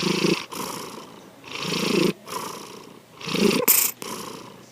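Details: Sankichi, a pet cat, snoring while asleep: three rough, breathy bursts, each with a low throaty rumble under a hissing upper layer. Quiet pauses fall between the breaths.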